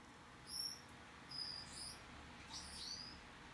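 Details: A baby white-faced sugar glider, recorded 24 May 2021, gives thin, very high squeaky chirps: short notes that slide slightly up or down, in about four brief bursts over a low, even hiss.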